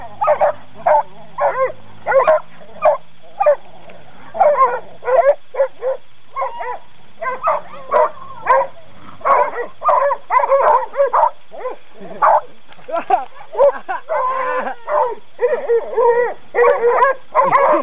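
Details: During a training session, coonhounds give short, sharp barks, one roughly every half second, in an unbroken run. A few barks stretch into drawn-out bays, and a faint low hum is heard early on.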